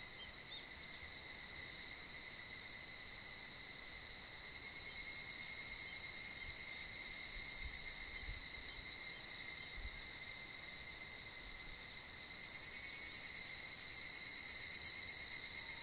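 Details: Evening chorus of higurashi cicadas in mid-July, echoing through a valley in the foothills of Mount Kanmuri at Funo: a continuous shrill ringing with steady high tones and overtones, rising slightly in loudness, with pulsing texture.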